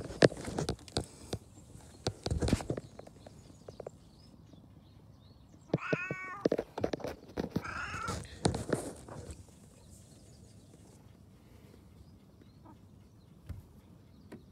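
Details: Two plaintive meows from a domestic cat arrive mid-recording, surrounded by knocking, tapping and handling noises before and after.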